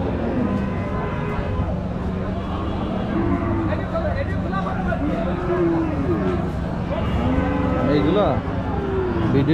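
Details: Low, arching moos from cattle at a crowded village market, several callers overlapping, heard over a continuous hum of voices and general bustle.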